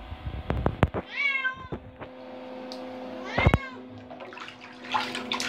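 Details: Adopted indoor cat, five years eight months old, exploring a bathroom and licking bathwater by the tub; clicks and licking sounds, then two rising-falling meows about two seconds apart, over a steady electrical hum.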